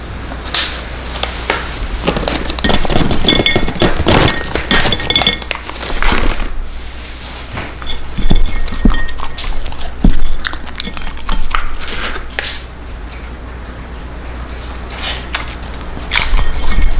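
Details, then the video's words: Welsh Corgi named Tangja from Daegu eating freeze-dried New Zealand food, picked up on a Chinese-made microphone: dense crunchy clicks and clinks in bursts, loudest early on, with quieter gaps of chewing toward the end. "동결건조 사료 먹방하는 강아지 / DOG ASMR"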